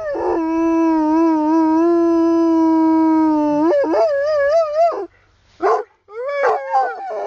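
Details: Huckleberry, a Plott Hound, serenades its owners in the English countryside: a long steady sustained howl held for about three seconds, then rising, wavering yodel-like notes and short upward-swooping howls.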